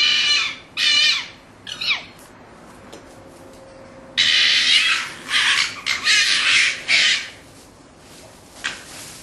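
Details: Orphaned red fox cubs kept in a pen before their return to the wild give harsh, high screeching calls in short bursts, then a longer run of raspy squalls with brief pauses.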